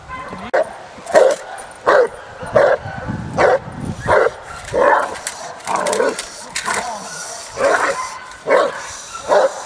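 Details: Hank the Tank, a Presa Canario, barking during working training at the De la Arena field in Germany; heavy, booming barks come in a steady series about every 0.7 seconds, with a handler's shouts mixed in.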